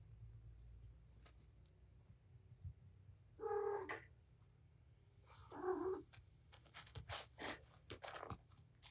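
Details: Domestic cat, a mother named Patience playing with her five kittens indoors in a cluttered room; two harmonic meows with steady low pitch, each under a second, followed by scattered clicks, thumps and rustling from play.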